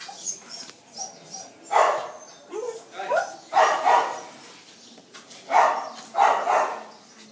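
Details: Phu Quoc Ridgeback barking at Quý Khuyển: paired and single gruff barks come in clusters separated by short pauses, with faint talking in the background.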